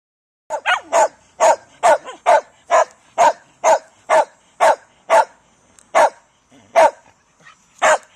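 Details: Shetland Sheepdog barking loudly: a fast series of about thirteen sharp, high yapping barks, roughly two each second with brief gaps, the final barks spaced a little wider, no other sounds.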